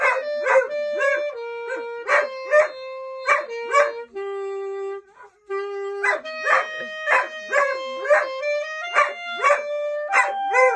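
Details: A female German Shorthaired Pointer howls along in short, wavering bursts while her boy practises steady instrumental notes at home during a school closure.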